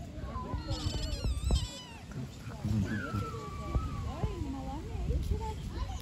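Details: Kittens living on the street give several wavering meows, rising and falling, between and over men speaking Turkish. Low rumbling background noise is heard throughout.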